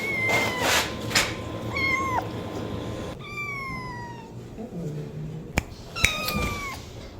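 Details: Domestic cat giving repeated meows, short and bent at first, then a longer falling meow and a final drawn-out cry, with clicks, knocks and household noise in between.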